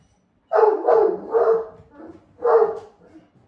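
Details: Great Pyrenees named Blanche, normally calm, barking at his owner in a rare bid to play; three quick deep barks in a row, a softer sound, then one more bark.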